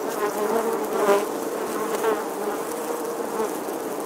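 A bee's steady, droning buzz that swells and fades slightly as it moves about.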